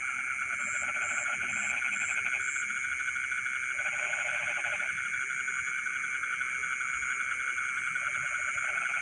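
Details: Night chorus of frogs in rice fields, rattling pulsed calls coming in separate bouts of one to two seconds, with a constant insect hum and a broken high-pitched insect buzz early on.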